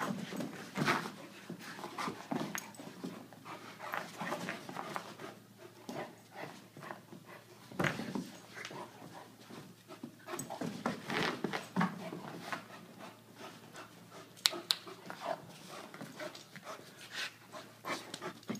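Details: Brogan, an Irish Wolfhound, playing indoors with Millie, an Aussie-Doodle puppy: irregular breathy panting bursts with scuffling and thumps of play throughout, a few sharper noisy spikes.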